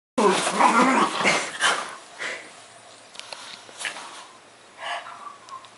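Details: Pug dog behaving wildly, giving a burst of loud, harsh barks and growly yelps at the start, then scattered shorter barks and snorts over quieter room noise.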